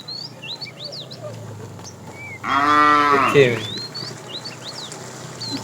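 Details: One mid-length moo, slightly falling at the end, from a fat cow calling the female during an afternoon drive of a tame herd; small birds chirp repeatedly before and after it.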